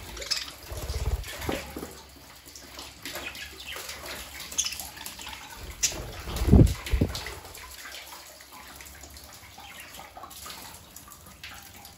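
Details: Dripping and sloshing water with soft clicks and knocks, and no animal voices.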